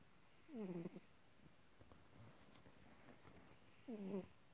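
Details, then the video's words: Calico cat, a female about eight years old, snoring loudly: two drawn-out, wheezy snores with a harmonic, slightly falling tone, separated by roughly three seconds of quiet breathing. "Loudly Snoring"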